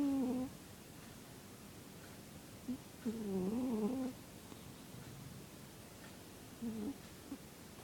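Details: Zebbie the cat snores in a quiet room: short, wavering, reedy tones recur every few seconds, one longer wobbling breath in the middle, and softer fragments between them.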